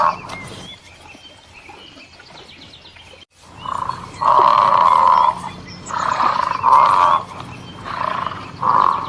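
An elephant trumpets in several loud, brassy blasts, each about a second long, after a quiet start.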